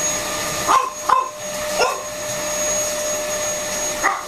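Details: Freddie, a French Bulldog, at play with a running hoover indoors: four short, sharp barks spaced irregularly over the steady, loud whine of the vacuum cleaner.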